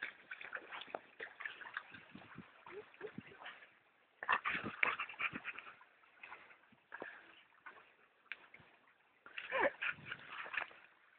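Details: Dog named Brad playing at B&B Torricella on 19 June 2011 at 16:18. Bursts of whining and yipping come in irregular clusters with short pauses, mixed with human voices and laughter, in a muffled, narrow-band recording.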